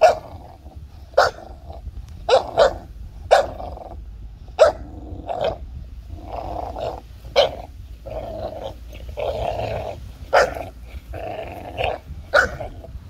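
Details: A 5-month-old American Bully puppy and a 2-year-old Golden Retriever playing tug of war, with steady rumbling growls broken by short sharp barks and yips about every second.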